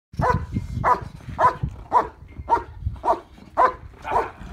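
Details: German Shepherd Yukon vom Patiala barking during Schutzhund IPO protection work with a decoy, preparing for trial; eight sharp, evenly spaced barks about every half second, with low rumbling noise underneath.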